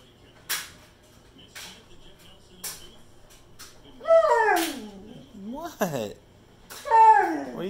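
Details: Zeusy, a male Pit Bull kept as a pet, howling and 'talking' indoors to beg for more chicken after brief human speech: two long, wavering, sliding howls, rising then dropping in pitch, with a sharp clatter between them.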